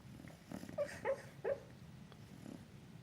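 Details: Flynn the bulldog, asleep and dreaming of chasing a squirrel, gives three short, high yips in quick succession over low, snuffly breathing.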